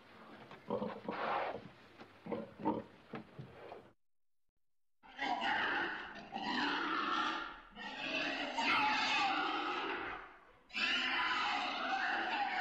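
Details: Pig sounds: a run of short choppy grunts, a second of silence, then three long harsh squealing bursts, loud and raspy, each several seconds long.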